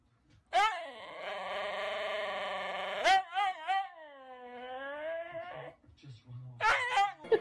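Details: Siberian Husky 'talking': a sustained, harmonic-rich wail of about two and a half seconds, then quick wavering yodel-like notes, a long gently falling drawn-out tone, and a final pair of short whining bursts.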